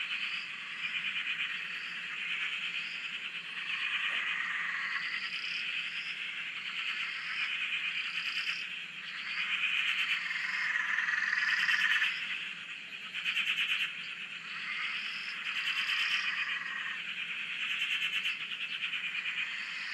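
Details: Massed frogs calling on a farm dam in Australia, from a nearby shack: continuous pulsing, rattling chorus swelling and fading, punctuated by repeated short higher rising notes roughly every second or two.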